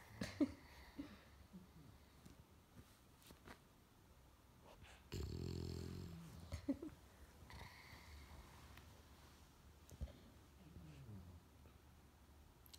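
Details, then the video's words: A female English Bulldog, sound asleep using a child as a pillow, snores in low, rough, rumbling breaths while a soft human voice nearby says she's tired. "REALLY relaxed English Bulldog snoring"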